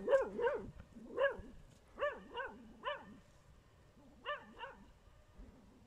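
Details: Dachshund, shown with a wild boar, barking in an irregular series of about ten high, arched yelps, some in quick pairs, with short pauses between bursts and a quiet background.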